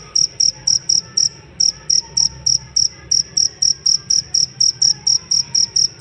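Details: Cricket kept as a songbird master, chirping in clipped high-pitched bursts near four per second, evenly spaced after a brief early gap; faint bird notes and low hum underneath.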